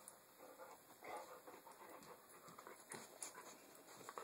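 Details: Two pet dogs playing together with a rope indoors, heard as short breathy huffs and panting bursts with rough, rasping play noises, uneven and irregular over a few seconds, with a person's voice nearby.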